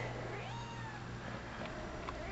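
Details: Penny, a seven-month-old rescue cat described as almost pure Bombay, mothering her squeaky toy monkey and mouse indoors; a soft, faint meow rises and falls briefly against a steady low hum.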